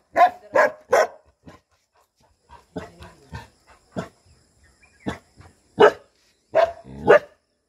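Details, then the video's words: Barking from Bhotia dogs, a Himalayan livestock guardian breed, on guard at a home in Uttarakhand: bursts of harsh barks about one per second, uneven spacing, some overlapping yips, with pauses between groups. "Uttarakhand Bhotia Dogs guarding home"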